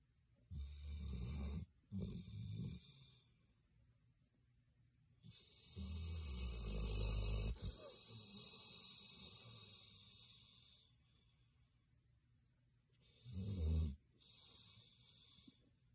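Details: Greater Swiss Mountain Dog asleep, snoring in long rasping breaths: several low rumbling snores, some with hissing high-pitched whistling overtones, separated by quiet pauses, and a final loud snort near the end.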